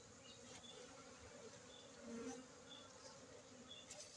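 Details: Honey bees from Aceh, Indonesia: a faint, steady low buzzing hum that swells briefly mid-way as a bee seems to pass closer, then fades back into a soft, hissy background.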